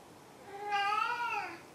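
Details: Maru the cat gives a single drawn-out meow indoors, rising then gently falling, with clear harmonic overtones against a quiet background.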